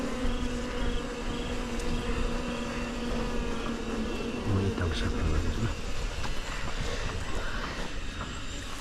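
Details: Himalayan mountain honey bees during honey hunting: a steady, even droning hum that holds one low pitch throughout, with a fainter higher overtone, set in dense broadband rushing noise, no voices heard.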